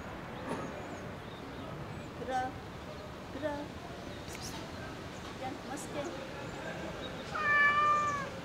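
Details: Cat in a park calls toward a balcony hoping for food; soft short mews early on, then one strong falling meow near the end, with bird chirps and low urban noise around.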